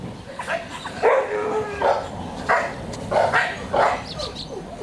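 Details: A young male Pomeranian yaps in quick, high-pitched barks, irregular but about one or two each second, with brief whimpering notes between the louder barks.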